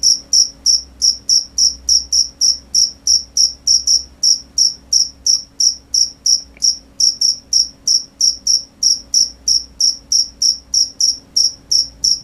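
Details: Crickets heard at night giving a continuous series of piercing high chirps, evenly spaced about three per second, with only a faint background hum.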